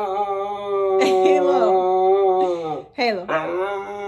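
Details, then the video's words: Siberian Husky Halo, arguing with its owner indoors about staying on the bed, gives a steady held moan that breaks into quick warbling, pitch-swooping syllables, then a short rising yelp-like phrase. "Mouthy Husky argues with mom about being on the bed!"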